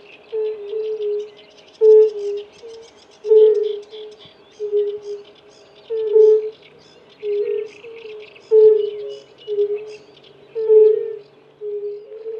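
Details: Several male European fire-bellied toads giving mating calls: single low, soft 'oo' croaks, repeated in bursts about every half second, with pauses between rounds; faint chirping birds in the background.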